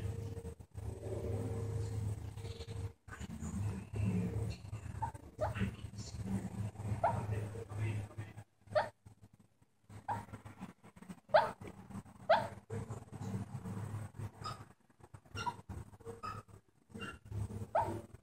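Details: A sleeping pet female dog snoring heavily, with low droning rumbles drawn out over several seconds, a brief quiet pause midway, then rougher breaths mixed with clicks and rustling.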